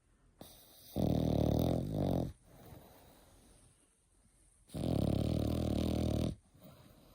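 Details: Eight-month-old French Bulldog puppy snoring indoors: two long, loud rumbling snores with a low buzzy vibration, separated by quiet breathing.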